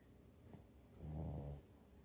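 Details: French Bulldog, a rescue dog named Abo, sleeping on top of a man on a rainy day when no walk was possible; one low rumbling snore swelling and fading over half a second, with a soft breath before it.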